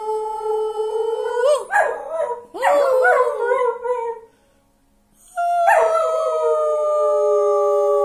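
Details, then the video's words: Pet dog, a male, howling together with its owner indoors: wavering, choppy howls for about four seconds, a short silence, then one long, smooth, sustained howl holding steady to the end. "Howling Session with Dog"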